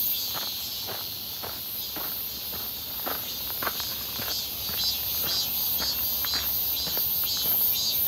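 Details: Midsummer cicada chorus on a clear hot 1 August 2023 near Seonbawi, recorded while walking: an unbroken shrill buzzing wall of sound that swells slightly toward the end, with footsteps crunching about twice a second.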